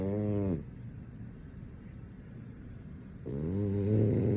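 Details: French Bulldog asleep and not waking, snoring in a small indoor space: a harmonic, droning snore at the start, a quiet pause, then another loud rasping snore building toward the end.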